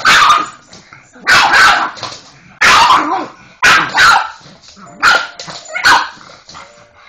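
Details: Pug named Molly going crazy at the Hoover indoors, giving loud harsh barks roughly once a second, each bark a noisy burst trailing into a brief growl or whine.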